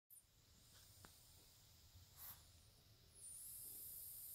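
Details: A pet of unstated species asleep, whistling through its nose: a faint, thin, very high whistle rises and holds for the last second, over quiet room hiss and a soft click.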